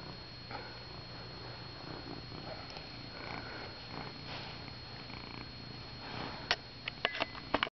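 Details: Domestic kitten purring while cuddled indoors, a soft, steady low rumble running through the whole stretch, with a few sharp clicks and rustling handling noises toward the end.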